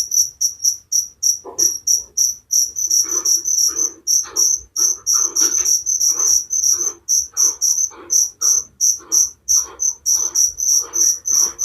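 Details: Relaxing cricket chorus for sleep, rapid high-pitched chirps about three per second, some merging into longer trills, over softer lower rasping pulses that keep time alongside them.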